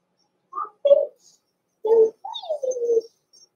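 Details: Indoor puppy pen with Blenheim Cavalier King Charles Spaniel pups from Pom-Pom's small litter born November 14, 2022; loud squeaky yips and whines, about one per second, the last a long, sliding, falling whine.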